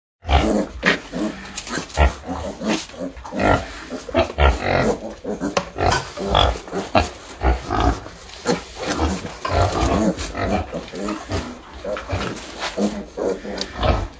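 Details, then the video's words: Baby piglets walking into a room: a dense stream of short, rough grunts and squeals overlapping one another, with shuffling and a faint voice behind. "Baby Piglets Walking To Room"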